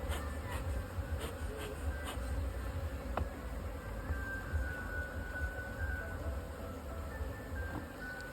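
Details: Kept honey bees at a two-storey hive box, a low droning hum throughout, with brief clicks early on and a faint whistling tone drifting in later.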